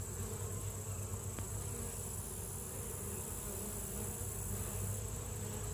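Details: Continuous deep hum of honey bees at their hive, an unbroken low drone with layered harmonic bands holding steady from start to finish, with a faint brief click early on.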